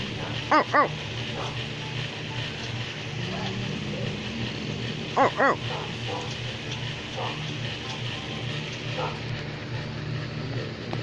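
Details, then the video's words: Pit bull barking in short paired bursts, two quick barks near the start and another pair around five seconds, with a person's voice repeatedly saying "oh" over a steady background hum. "Pitbull is barking"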